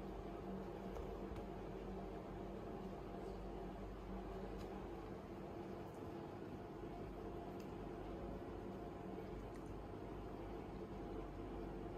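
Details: Constant mechanical humming like a fan or air conditioner fills the room, with faint light taps and no animal voice.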